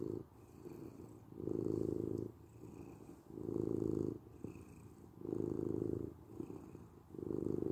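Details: Domestic cat purring for sleep and relaxation, a low steady rumble that swells into louder phases about every two seconds, alternating with softer stretches in an even breathing-like rhythm, in a quiet indoor setting.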